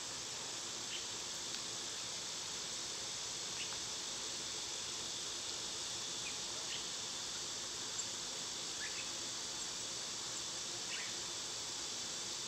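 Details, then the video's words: Cicadas singing in summer: a steady, loud, high hiss-like drone holds without a break throughout, while a few faint short bird chirps drop in pitch at intervals in the background. "Cicada sounds"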